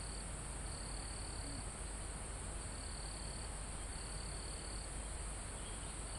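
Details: Crickets in a forest almost at the top of a mountain, recorded live: high, even trills lasting about a second, four bursts in the stretch, over a steady high insect hiss and a broad rush of calm wind in the foliage.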